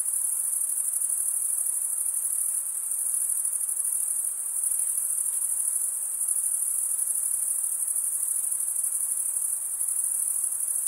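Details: Crickets stridulating in a continuous piercing high trill, level and unchanging for the whole stretch, with faint low rumbles now and then.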